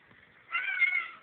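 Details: Pet cat talking back to its owner in a hallway, captured on a phone; a single clear, drawn-out meow with strong harmonic bands, the owner speaking about water just before and after.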